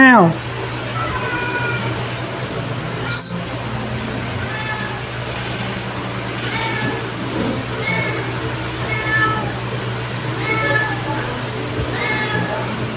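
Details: A domestic cat in a household meows repeatedly, giving about seven short, clear, mid-pitched meows spread over roughly thirteen seconds, with a steady low electrical hum underneath and a brief sharp knock near the start.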